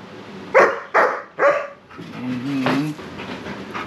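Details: Sarge, a 7-month-old German Shepherd puppy, talks back while resisting being brushed: three short sharp barks in quick succession, then a longer whining, groaning vocalization; a person coaxes him to come and be combed.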